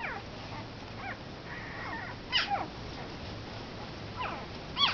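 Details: Week-old Komondor puppies give short squeaky whines and a few bending, rising-falling mews, with two sharper high yelps, scattered irregularly over a low steady hum.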